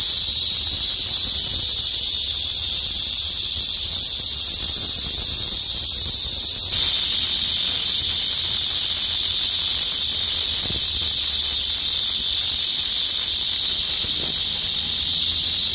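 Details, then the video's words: ['Cicadas in leafy trees during summer, a dense shrill whirring that shifts in tone partway through and carries on steadily, with faint low background rumble.'] "CICADA'S SOUNDS"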